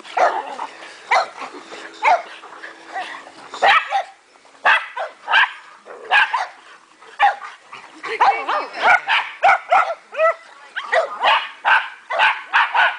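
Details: Dogs having fun at a backyard dog park on 3/29/08, a busy stream of sharp barks and yelps from several animals, grouped in quick runs with brief gaps of quiet.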